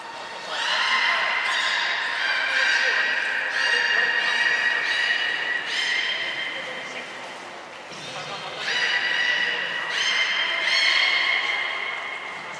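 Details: Aquarium belugas, Hodoi, Taanya and Mirai, moved between pools and trained at Port of Nagoya Public Aquarium, 23 February 2021; repeated rich harmonic whistles, nasal and whinny-like, come in two long runs with a short pause between.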